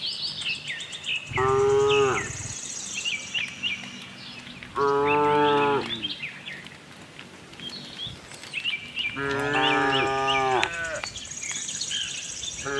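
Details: Tame cows roaming a cattle farm in search of fresh grass, giving three drawn-out harmonic moos about four seconds apart, each lasting over a second, while small birds chirp and twitter steadily behind them.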